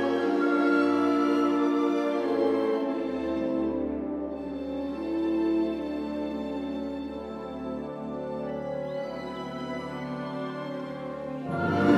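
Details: Slow, sustained new-age music with soft held tones and a low drone; no animal sound is heard.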